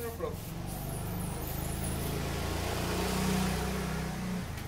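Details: Rottweiler named Babols growling while playing tug of war with a toy, refusing to let go; a low, steady, rumbling growl with a fast pulsing texture holds throughout, with a faint human voice at the start.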